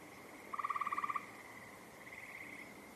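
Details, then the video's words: Frogs calling, one sharp pulsed trill of about a dozen rapid beats lasting over half a second, over a steady high insect-like hum and fainter trilling farther off. "Those are frogs you're hearing over here."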